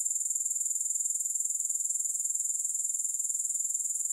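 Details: Uninterrupted shrill grasshopper chirring, rapid and regular, a steady high buzz of pulses with nothing else heard.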